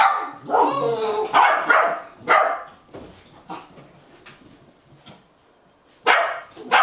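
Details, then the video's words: Golden Retriever puppies aged 8½ weeks, January 2013, Haute-Savoie, France, hop up and down giving excited, high yips and barks, impatient while their meal is prepared. "Golden Retriever Puppies looking forward to their meal"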